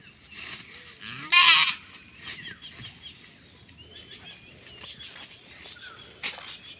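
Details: A pet goat, one of several kept goats about to be sold along with cattle, gives a single short, loud, quavering bleat, then a quiet stretch with a faint sharp cry near the end.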